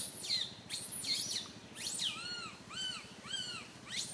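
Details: Infant monkey Santo wails on a tree branch, his mother Sara unable to care for him; a burst of rapid shrill screeches gives way to three repeated arched, whining cries.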